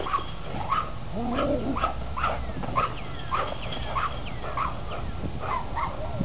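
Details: A Rottweiler barks in a quick, steady series over a low background rumble while running in circles, back and forth, and jumping at a fence, barking and growling.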